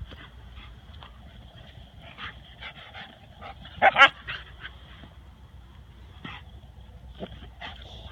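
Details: Nine-month-old Rottweiler puppy Tor playing with a young Husky: scattered short whines and yips through the clip, then a sudden loud double bark partway through, with quieter yelps following near the end.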